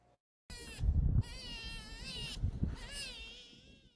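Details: Sea otter pup in California, separated from its mother and crying for her before a rescue center reunited them; loud, wavering, harmonic wails like a baby's cry come in three long bursts over low rumbling background noise.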